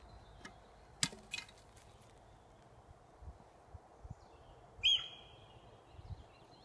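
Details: Sika deer hind in the New Forest giving an alarm call: one sharp, high, whistled squeak near the end, slightly falling in pitch, after a few earlier clicks and snaps in a quiet rural setting.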